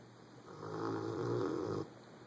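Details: Sleeping pet Rottweiler snoring loudly indoors: one long rasping, rumbling snore breath lasting over a second, swelling then cutting off, against a faint steady background hum.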